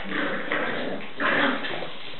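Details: Staffordshire Bull Terrier puppies at a breeding kennel; a short burst of whiny yelping over a rough, muffled background, with a louder, higher whine near the end.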